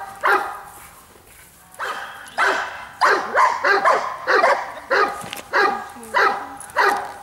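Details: Bayuma, a Giant Schnauzer known as Blackmoore Radinie, gives rough, resonant barks that start sparsely and then come in a fast, fairly regular run of single woofs after the third second.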